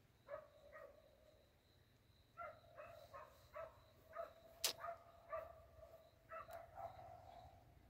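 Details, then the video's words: Hunting dogs barking in a forest while out on a hunt, chasing; a series of short sharp barks repeating irregularly about twice per second, with a louder knock near the middle and a steady high hum in the background. "cho các chú chó săn vào rừng sủa hơi cày chơi nghe cho sướng"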